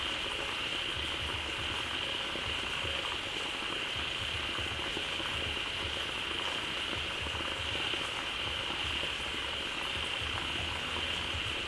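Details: Frogs crowded into a pond after waterfall water flowed in, a loud massed chorus: thick, boiling texture of countless overlapping calls, a bright steady high band, and soft low rhythmic croaking underneath, unchanging throughout.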